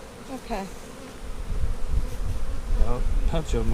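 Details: Honey bees at a hive inspection on 15 April 2017, a split made on March 4 with the queen moved into a five-frame nuc with nurse bees; short droning buzzes pass close by over a steady low rumble.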